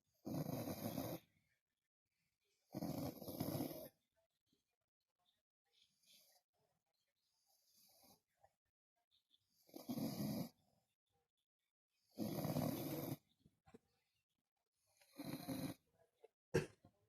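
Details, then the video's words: Vasya, a French Bulldog, snoring: loud rasping snores about a second long recur every two to three seconds, separated by quiet breaths, with a single short sharp snort near the end. "Французский бульдог храпит"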